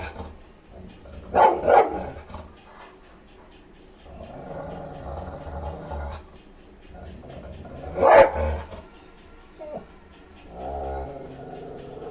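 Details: Rottweiler barking while chasing a cat: two loud, harsh double barks about six seconds apart, with a steady low hum and softer rustling noise between them.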